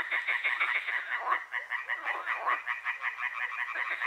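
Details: Night frog chorus at Hłomcza near Sanok, Poland: many frogs croaking at once, quick pulsed rattling notes repeated several times a second in a steady overlapping wash.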